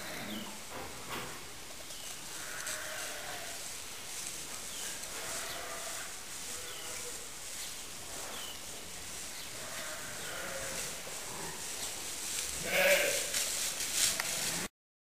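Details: A lamb a few days old romping in the hay; steady rustling of hay under repeated faint, wavering bleats, with a louder cry near the end.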